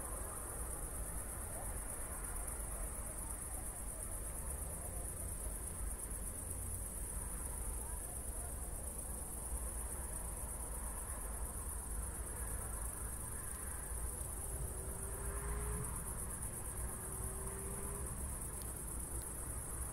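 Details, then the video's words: Crickets on a night after a thunderstorm near Zwettl, Austria: a high, steady shimmering trill persists throughout, while low rumbling continues beneath and two brief faint tonal hums, perhaps distant voices or traffic, appear late on. "ASMR Cricket Sounds"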